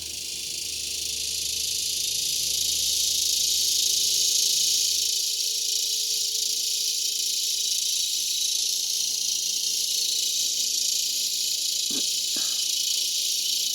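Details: Cicada chorus from a mulberry tree just before sunset in Broken Arrow, Oklahoma, August 2020: a dense, steady high-pitched buzzing hiss, swelling slightly then holding level, with two brief clicks near the end.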